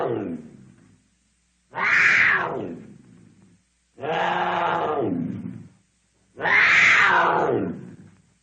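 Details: Cougar (Puma concolor), roar.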